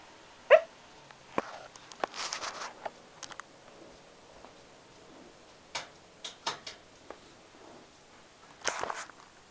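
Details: Shiba Inu named Momo sleep talking, angry while asleep: scattered short yelps and muffled huffs, one sharp loud yip near the start, a breathy grumble around two seconds, quick clicky bursts later and a final noisy snort.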